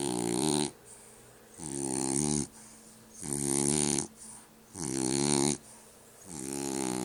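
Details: Loud, steady snoring from a French Bulldog: five raspy, droning breaths close together, each near one second long with a breathy hiss on top, repeating every one and a half seconds.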